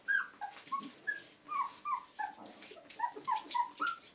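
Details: Two-week-old Border Collie puppies, born 15 February 2013, whimper and squeak in a dense run of short tonal cries, some rising and some falling, overlapping one another throughout.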